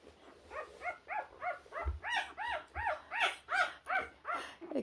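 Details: A puppy trying to find its way, giving a rapid series of short arched whines, about thirteen in under five seconds, rising and falling in pitch, with low thumps and faint music beneath.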